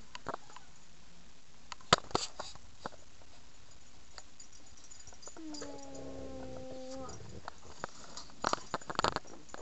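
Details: Pet puppy, possibly named Reider, giving a single steady, tonal whine about one and a half seconds long midway through, surrounded by scattered clicks, taps and knocks in a quiet room.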